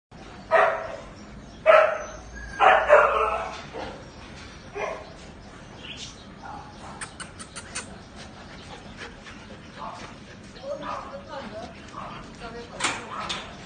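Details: An agouti Siberian Husky in the Philippines gives a few loud, short barking woofs, then quieter yips and murmurs.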